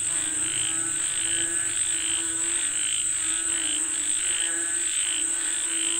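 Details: Rain-calling frogs croak in an uneven chorus of short pulses, a little over one per second, with a constant shrill insect whine throughout.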